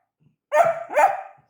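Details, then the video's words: Young Labrador Retriever puppy with two short barks run close together, the second trailing into a drawn-out, slightly whining tail. "labrador puppy | labrador barking"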